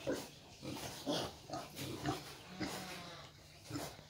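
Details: A hybrid wild boar (Sus scrofa) nursing her young grunts in short, low, rough pulses about once a second.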